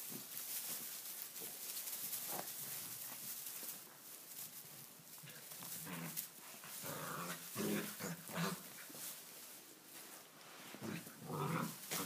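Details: Tibetan Mastiff puppies, six weeks old, romping in a stable on their first visit while it is wet outdoors; busy scrabbling and thumping, interrupted by brief high whines and squeaky yelps, several close together.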